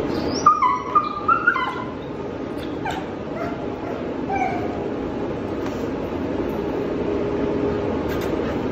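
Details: Quavo, a 5-month-old Belgian Malinois puppy with a history of tantrums, resisting touch, collar and leash during a training session. Three high, wavering whines with rising harmonics in the first two seconds, then only a steady rushing background hiss.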